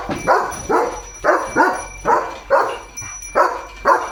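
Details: Rapid, regular barking from Leo the German Shepherd during an evening walk in a green field: roughly eight rough, mid-pitched barks in four seconds, evenly spaced, with a thin constant high tone running beneath.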